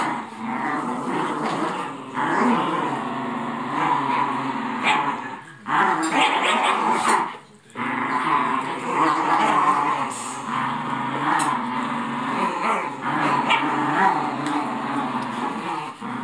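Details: Two Italian Greyhounds, Raffe and Luna, playing together, giving continuous rumbling growls with occasional yips and whimpers, broken by brief pauses.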